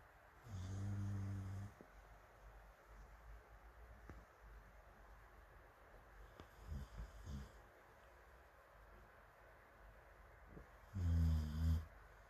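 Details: Morimori, a dog dozing on a sofa with a fan blowing and other dogs asleep nearby, Hamanaka, Hokkaido, June 21, filmed from afar: two loud, low, rasping snores about ten seconds apart, with faint softer breaths between them.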